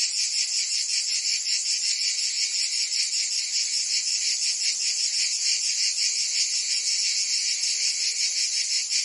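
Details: A cicada chorus in summer in Provence, France, fills the air with a sharp, grating high buzz. The buzz beats quickly at close to three pulses per second and stays unbroken and level, with no other animals or noises.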